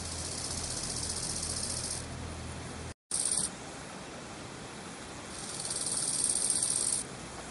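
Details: Two male bow-winged grasshoppers (Chorthippus biguttulus) sing in high, hissing, rasping bursts, each phrase lasting a couple of seconds; recorded in Berlin on 26 July 2011.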